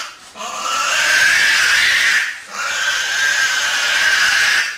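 A Tasmanian devil gives two long, loud, raspy screeches, harsh and hissing with a wavering edge.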